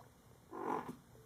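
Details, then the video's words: Baby kitten hiccuping: a single soft, brief hiccup lasting under half a second, a muffled low burst against a quiet indoor background with no other sounds. "cute baby kitten enjoying hiccups"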